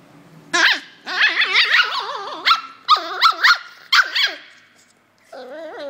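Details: Poodle in China barking in sharp, high bursts mixed with whiny yelps, several quick barks in succession over a few seconds, ending with a softer drawn-out whine.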